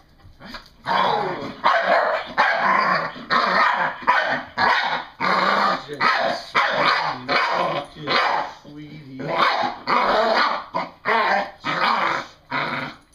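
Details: Excited, playful female English Bull Terrier making harsh growling barks in rapid chopped bursts, around eighty per minute, with a short lull midway; a person speaks softly at times.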